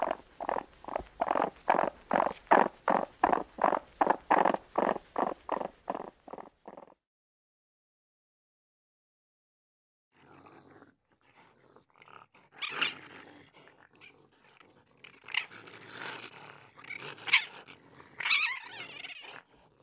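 A raccoon gives a steady pulsing churr, then a pause and scratchy chittering squeals.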